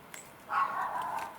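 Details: Nala, a female rescue Cavalier King Charles Spaniel, gives a single short, faint bark indoors because next door's dog is barking. The bark is mid-pitched and lasts under a second against quiet room background.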